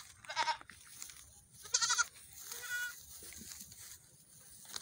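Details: Baby goats out for a morning run call in three short bleats, quavering and high, the second loudest, the last thinner and more drawn out, followed by quiet farmyard background.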